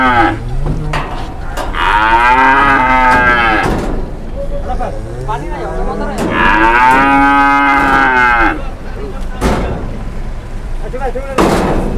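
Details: Two raging cattle in Indonesia, agitated and confusing a driver: two long, loud bellowing moos about four seconds apart, with shorter grunts between them and constant background rumble.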